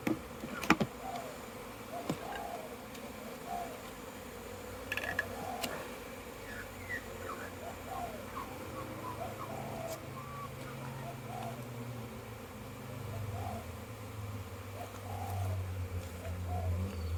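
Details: Crowds of bees on orientation flights outside a packed hive, 22 September 2022; a continuous buzzing hum with passing fliers swooping by, scattered clicks and knocks, and a low droning rumble building in the second half.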